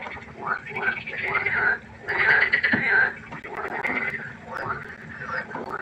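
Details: Pondside frogs at night giving bursts of rasping, harmonic croaks in clusters lasting about a second, brief quieter gaps between, several callers overlapping above a low hum.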